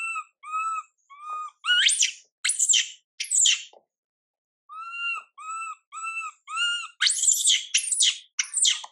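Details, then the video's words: MILA, a young monkey whose mother MILIKA pays her no attention, cries out in tonal harmonic whines repeated about every half second, broken by sharp upward screams, a pause, then more whines and screams. "Mom MILIKA doesn't care monkey MILA cry, PIty girl MILA cries out"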